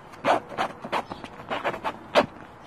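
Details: Pomeranian Chihuahua mix (Pomchi) giving short, sharp yaps spaced roughly every third of a second, the last bark the loudest, with low background noise.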